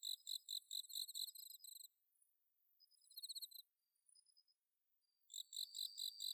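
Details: Autumn-night bell cricket chorus from the Inba Marsh paddy fields in Chiba, Japan: bursts of quick high-pitched chirping separated by a nearly silent stretch, with scattered faint trills before the rhythmic chirping resumes.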